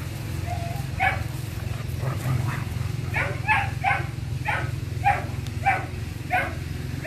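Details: A German Shepherd, one of a male-and-female pair, barks in short, sharp bursts over a steady low rumble.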